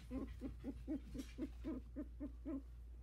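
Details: Havanese puppies at 16 days old, just starting to walk; a quick regular series of about ten short squeaky yips, roughly four each second, over a low background hum.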